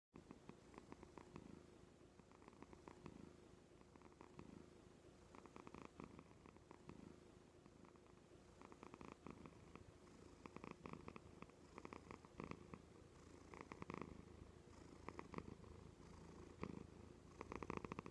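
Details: Joan, a pet cat, purring on the arm of a couch indoors: a continuous low vibrating rumble, steady throughout, with faint rhythmic pulsing and soft rustles.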